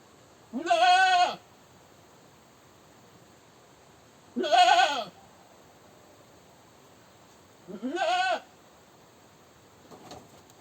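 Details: Screaming goat repeating loud, quavering bleats about every three and a half seconds, three strong cries with the last slightly fainter, followed by a faint click-like sound near the end.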